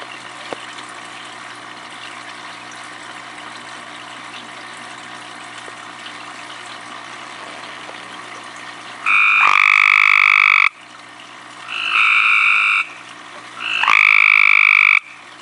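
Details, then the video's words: Tree frog calling at night from very close range: after about nine seconds of quiet background hiss, three loud, nasal, buzzy calls ring out, each lasting roughly a second with bright overtones, the last one starting with a rising sweep. "Tree frog face calling"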